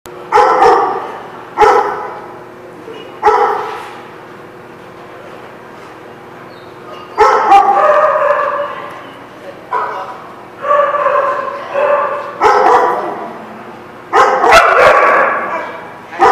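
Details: Dogs barking at a lot on February 15, 2016: sharp, harmonic barks in short clusters, with some barks single and others doubled, separated by pauses of one to three seconds.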